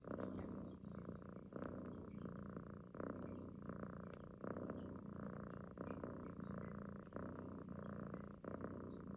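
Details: Female domestic cat purring while cuddling with her owner, sucking at the neck as if nursing, a habit every morning and night; steady rumbling purr rising and falling with each breath, a cycle about every 0.7 seconds.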